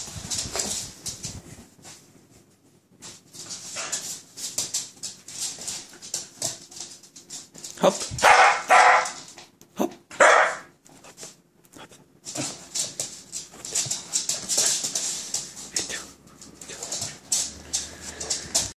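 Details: A one-year-old Shetland sheepdog gives sharp, bright bark-like bursts, loudest in two strong outbursts midway, with shorter scattered yelps and noisy rustling before and after.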